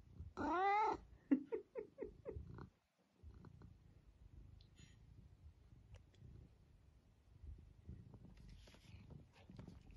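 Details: A talkative house cat that keeps vocalizing: one long wavering meow, then a quick series of five or six short chirping meows, followed by quiet rustling indoors and faint later sounds.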